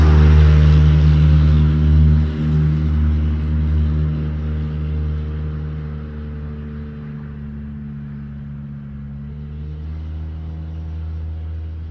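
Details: A deep, steady engine rumble from a nearby vehicle slowly fades, with no animal voices heard.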